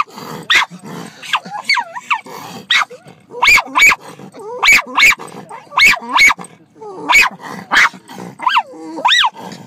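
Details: Lyla, a pet dog, barking at birds: sharp broadband barks in irregular bursts, interleaved with rising-and-falling whiny yelps and squeals, several barks grouped closely around the middle, with a steady low background hiss.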